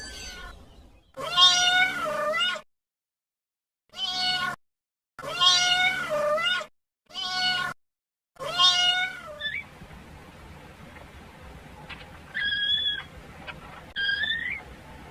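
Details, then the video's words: Crying kitten searching for its mother: five loud, wavering meows separated by short silences, followed by two fainter, shorter meows in the distance. "Sweet Kitten Calling For Mama"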